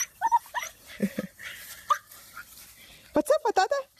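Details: Siberian Husky puppies yelp in quick rising yips, a rapid run of them near the end, mixed with a person talking close by.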